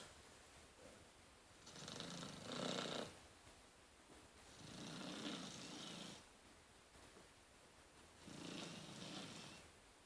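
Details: Soft, steady snoring from a sleeping Rottweiler puppy, three slow, breathy, purring snores roughly every three seconds, with hushed silence between them.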